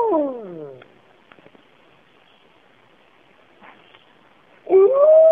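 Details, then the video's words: Wolf pack at Bays Mountain howling in the cool of the morning, recorded in 2010: one falling howl fades out, a pause with faint soft sounds, then a loud new howl rises sharply at the end. "Bays Mountain Wolves Howing"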